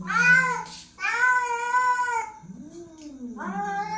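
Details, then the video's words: Angry domestic cat giving long, drawn-out harmonic meows, the first two loud and steady, then a lower moaning wail that rises and falls before a third meow starts. "angry cat"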